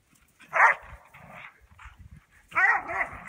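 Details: Two Border Collies playing in the snow: a pair of loud, rough barks about two seconds apart, the second drawn out with a wavering whine-like tail, with soft scuffling between them.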